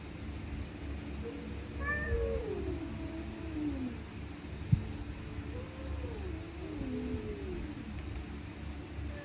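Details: Stray cats growling and screaming at night while fighting: two fainter, wavering drawn-out yowls that dip and bend in pitch, partly buried under heavy low rumbling noise, with a single sharp knock midway.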